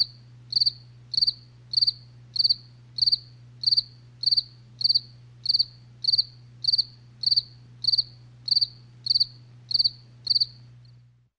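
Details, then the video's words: A cricket chirps at night in a regular rhythm of high trilled bursts, roughly one every 0.6 seconds, until the sound fades out at the end; a faint low hum persists. "SONIDO DE LA NOCHE | grillos"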